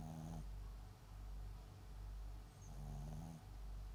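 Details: Papillon × Japanese Chin mix dog named MAX snoring while asleep. Two short raspy snores, one at the start and one near the end, with soft low breathing between them.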